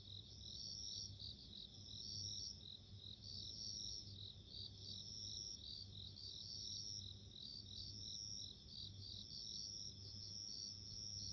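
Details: Bell crickets singing, a dense chorus of high, ringing, bell-like trills with pulsed chirps above, overlapping several callers, steady throughout over a low background hum.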